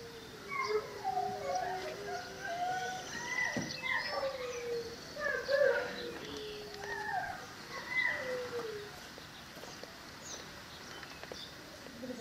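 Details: Female Cane Corso puppy, 11 weeks old, whining: thin, wavering tonal whimpers that rise and fall, some long and drawn out, others short, coming in loose bouts over a quiet background.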